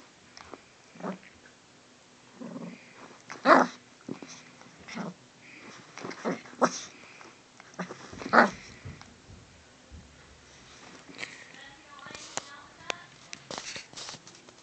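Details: Puppy dog making short, scattered yips and squeaky whimpering bursts at irregular intervals, some louder cries around the middle, with quiet gaps and soft indoor handling noises between them.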